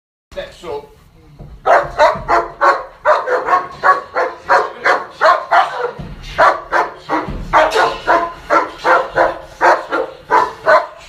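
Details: German Shepherd, bicolor, working on the job, barking in a rapid, steady series of harsh barks, about three per second, sustained through most of the recording with brief pauses.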